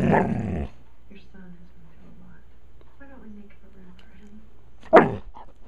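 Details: Puppies begging for popcorn indoors: a loud, harsh bark opens, then soft, low whining tones repeat across several seconds before a second sharp bark near the end, with quiet human voices in the background.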